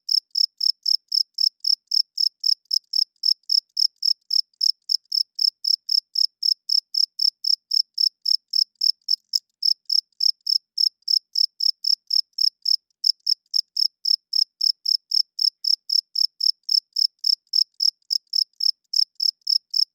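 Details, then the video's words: Loud cricket chirping at night, high shrill pulses repeated near four times a second with a couple of tiny breaks in the rhythm, otherwise steady and alone in a quiet background. "Cricket Chirping Sounds - Cricket klinkt 's nachts luid"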